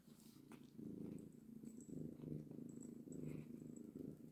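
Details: Mother cat with her kittens purring steadily: a low, rough, pulsing rumble that carries on through the whole stretch, with faint soft clicks and rustles above it.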